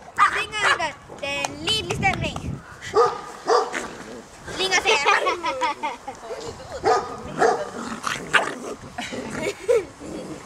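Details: Ten six-week-old Golden Retriever puppies playing wildly in a garden yip, whine and give high barks in a busy, overlapping chorus, with human voices mixed in.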